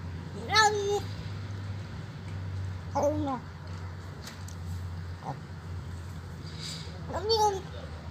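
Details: Old hungry stray cat at a doorstep, begging for food and unafraid: three drawn-out, arched meows, rising then falling, spaced a few seconds apart over a low steady hum and faint background noise.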